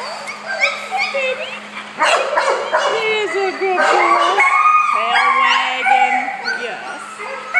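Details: Puppies around four weeks old make a busy mix of squeaky yips, whines and short rising cries, several at once, while a person talks softly over them and a constant low hum runs beneath.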